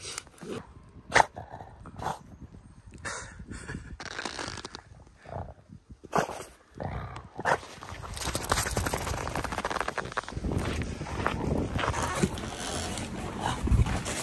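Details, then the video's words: French Bulldog begging for sushi: short whimpers and snorting grunts in scattered bursts, then steady snuffling and breathy noise from about eight seconds to the end. "How does the French bulldog beg for sushi?"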